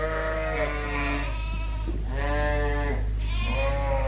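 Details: Suffolk lambs in a barn, groups mixed together after the dividing wall came down; three successive long vibrato bleats, overlapping slightly, above a continuous low hum.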